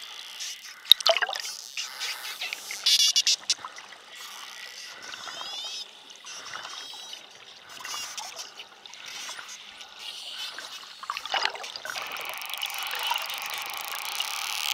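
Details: A school of spotted dolphins swims close in Bahamas waters. Wavering, high whistles rise and fall in curved sweeps. Rapid click trains and buzzy bursts run over a constant crackling sea background.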